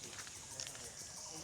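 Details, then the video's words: Crickets calling beside a bamboo grove in quiet rural Mathurapur village near the Chhoto Jamuna river, Naogaon; a steady, high, hissing trill runs throughout, faint and continuous, with soft human speech underneath. "দেখছেন ঝিঝি পোকা ডাকতেছে, কত সুন্দর চারিপাশে একদম নির্জন পরিবেশ।"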